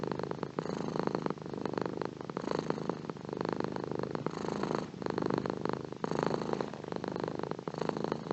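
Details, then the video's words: Relaxed domestic cat giving a low, buzzing purr that pulses with its breathing, swelling and easing about once a second in a quiet indoor setting. "Beautiful Purring Cat / Gato ronroneando"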